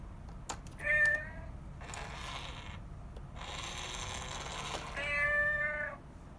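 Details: Domestic cat in a mother-and-kitten household with a piggy bank, rescued cats: two clear harmonic meows near one second and five seconds, with rattling, clicking mechanical noises and broadband rustling between them.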